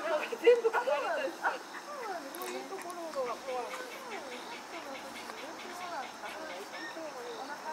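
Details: Three white schnauzer puppies born on 10 August give a rapid string of thin, high whimpers. Each whine bends up and down, overlapping one another and fading slightly toward the end.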